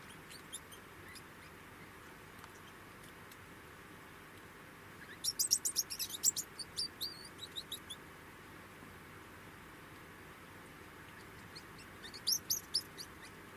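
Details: Degu producing a quick run of thin, high-pitched chirps in the middle, then a shorter chirping burst near the end, against a quiet steady hiss.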